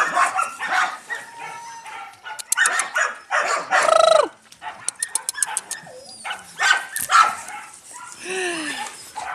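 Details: Yakutian Laika puppies and their mother Rumba: bursts of shrill yelps and harsh barks, one drawn-out whining yelp midway, broken by brief pauses and some rattling clicks.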